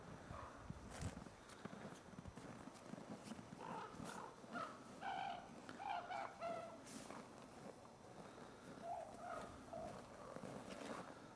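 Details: Ambassador gray wolves in captivity during daily dominance interactions, 15 December 2008: a run of short, high whining yelps with bright harmonics clustered in the middle of the recording, over scuffling and low rumbling background noise.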